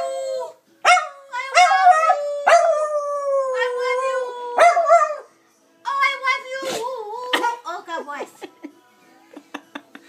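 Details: Dusty, a Dachshund, howls "I love u" to his momma, sustained howls gliding downward, then choppier broken yelps and wavering notes overlapping with a person's voice near the end.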